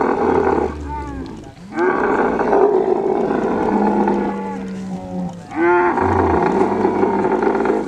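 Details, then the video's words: Kharai camel from the Kutch coast of Gujarat during mating, giving long rough bellowing roars with gurgling breaks between them and low droning rumbles underneath. "Kharai camel mating"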